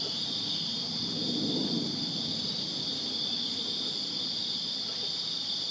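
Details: Summer-night chorus of crickets in a Virginia backyard, a continuous shrill pulsing drone high in pitch, unbroken for the whole stretch, over a soft low murmur of ambient outdoor noise.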